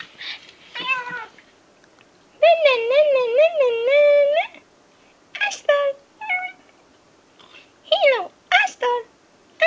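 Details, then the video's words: Pekingese puppy "talking", trying to say "hello": a long wavering, warbling whine-howl of about two seconds, framed by short yelps that bend up and down in pitch, with quiet gaps between. "Very Funny-Talking Pekingese Puppy"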